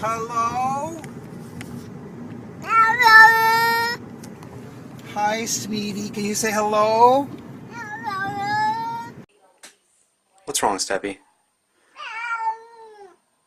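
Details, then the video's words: Domestic cat answering a person who talks to it about going up in a window, with a series of short rising meows scattered through the human speech. "CATS SPEAKING & making wierd noises"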